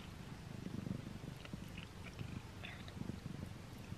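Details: Indoor domestic cat eating a string cat treat for the first time, very close; soft constant purring rumble with light intermittent chewing clicks and small smacking sounds.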